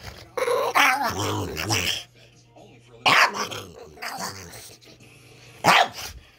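A Boston Terrier lets out odd, throaty growling grumbles in short bursts.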